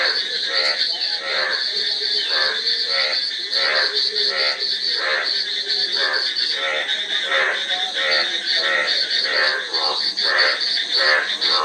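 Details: Many frogs croak together in rough, pulsed bursts that follow each other closely, backed by a continuous high, insect-like whine that stays loud across the whole stretch.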